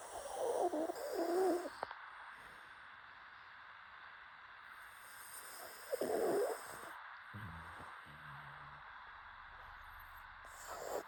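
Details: Pet pug snoring: two rough, throaty snorting bursts, the first lasting nearly two seconds and the second shorter about four seconds later, with quiet breathing and faint background hiss between them.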